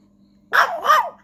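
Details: Female Chihuahua puppy giving two short, sharp, high barks in quick succession, about a third of a second apart, the second slightly longer and falling in pitch, over a faint steady low hum.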